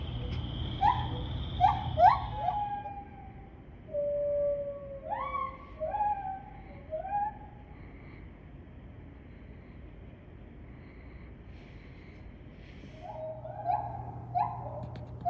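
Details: A white-handed gibbon (Hylobates lar) sings at Assiniboine Park Zoo on 5 May 2023, loud, clear hoots that swoop upward and fall away in a rising series.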